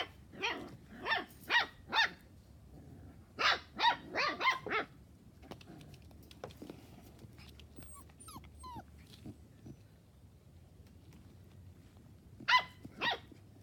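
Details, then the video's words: Puppies playing, giving a series of short, sharp barks in quick bursts near the start and middle, followed by quieter whines and squeaks, then two more yaps at the end. "Puppies playing"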